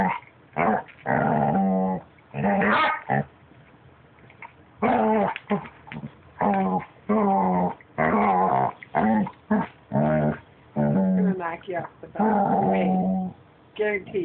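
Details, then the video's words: Pet puppy making weird noises as if trying to talk: a string of short groaning growls and whiny yips with rising and falling pitch, coming in quick bursts separated by short silences, with one longer quiet gap early on. "Cute puppy making noises"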